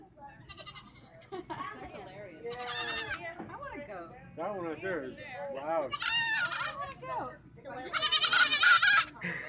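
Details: Goats from a funny compilation bleating in loud, harsh bursts, with a strained, screaming cry near the end, mixed with people speaking in the background.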